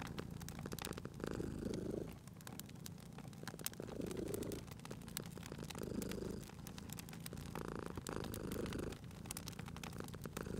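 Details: Cute cat asleep by a fireplace, purring steadily; a deep rolling purr rises in breath-timed surges about every two seconds, overlaid by constant snapping and crackling from the fire.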